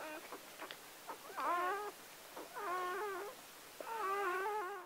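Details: Gordon Setter puppy moments after birth, the seventh of Clea's nine pups born October 23, 2014, letting out three drawn-out quavering squeals, preceded by a few short clicks and sniffs.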